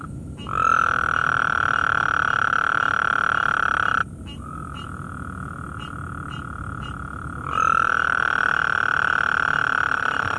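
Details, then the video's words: Gulf Coast toads call at night, several out together with a tree frog nearby; long steady buzzy trills, each about three and a half seconds, follow one after another, the middle one a little lower and softer. "Gulf Coast Toad singing in the night"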